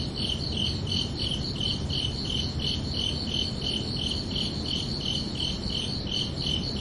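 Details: Nighttime summer chorus of crickets, giving evenly spaced high, thin chirps roughly three per second in a continuous rhythm over faint low ambient hiss.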